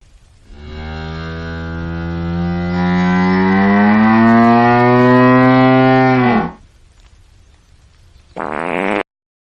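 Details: A hippopotamus yawning gives a long, deep, droning groan that swells and bends slightly upward before cutting off.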